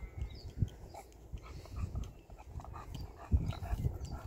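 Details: Buzz, a rescue bulldog, finding surprise water: low snuffling grunts and snorts in short irregular bursts, with faint higher rustles and splashy background noise.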